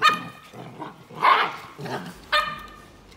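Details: Samoyed puppy with guests indoors, giving short bright yips and barks: a sharp ringing yip at the start, muffled scuffling growls in the middle, then another high clear bark near the end.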